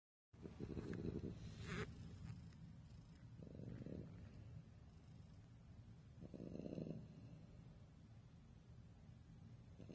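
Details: Sleeping pet French Bulldog snoring: three rough, low, rumbling snore bursts about three seconds apart, separated by quieter breathing, indoors.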